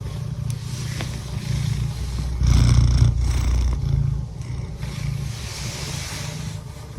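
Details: Domestic cat purring: a continuous low rumbling purr that swells louder in the middle of the clip, then eases back to a steady soft drone.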